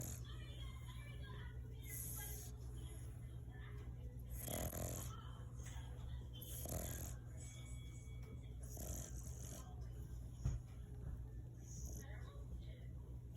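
An English Bulldog snores in loud, raspy rumbles that repeat every two to three seconds.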